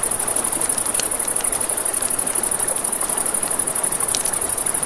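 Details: Crickets at night by a river beside a campfire, a steady high-pitched pulsing trill running without pause, with crackling fire pops and a soft rushing river underneath.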